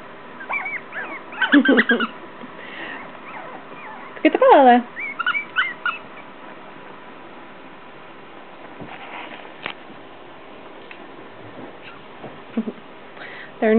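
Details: Shorkie puppies, three females of a Shih Tzu and Yorkie cross, three and a half weeks old, at play, giving high bending whines and whimpers in short bursts, with quieter gaps and steady low hiss between them.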